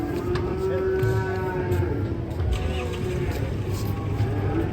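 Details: Cattle near a truck as men call out directions to the driver; a long, level, low moo holds for about two seconds over a steady engine rumble, with voices in the background.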